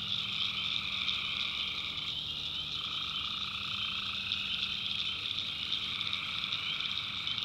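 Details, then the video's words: Tree frogs calling at night in a North Carolina backwoods swamp: a dense, unbroken chorus of high trilling voices over a lower steady band of calls that drops out and returns partway through, with a faint low hum beneath. "Relaxing Swamp Sounds at Night - Frog Heaven - Frogs"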